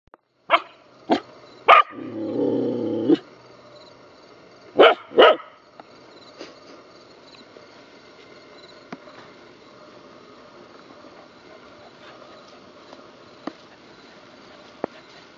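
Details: Two rescue puppies awaiting adoption bark in a handful of sharp, loud yaps over the first few seconds, then a brief whine-like growl; afterward only faint clicks and quiet room noise.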